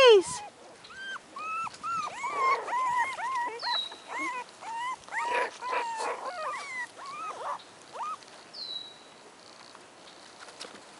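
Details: Four-week-old American Hairless Terrier puppies giving a steady stream of short, high, tonal yelps and whines, several pups calling together and gradually quieting, with a few sharp squeaks and low voices in the background.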